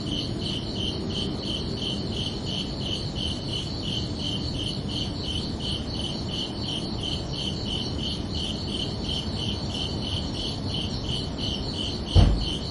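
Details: Crickets chirping at night under a summer evening sky: a steady train of pulsed, high chirps, about three per second, over a low background rumble, with a brief soft knock near the end.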